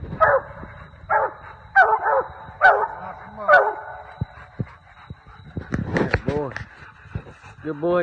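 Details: Treeing Walker Coonhound; bay; hunting raccoons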